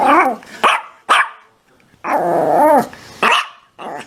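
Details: A dog gives short harsh barks followed by a longer wavering, whining bark-howl, then more abrupt barks, with brief silent gaps between.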